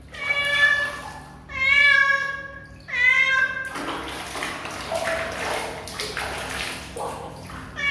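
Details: Kitten giving three drawn-out, high, clearly voiced meows in quick succession, each slightly falling at the end, followed by several seconds of broadband rustling and splashing noise with a brief faint cry near the close.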